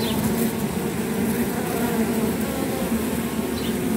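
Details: Honey bee removing pile from an intruder bee from another hive to keep her from flying; continuous dense low droning hum of the colony, even and unbroken for the whole stretch.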